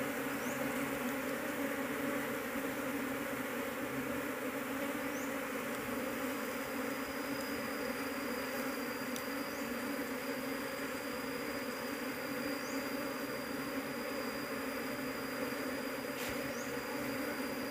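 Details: Dense Apis cerana honey bee colony whose queen cannot be found among the many workers. Continuous, even droning buzz with no pauses, overlaid by a thin high steady tone and a few soft short chirps.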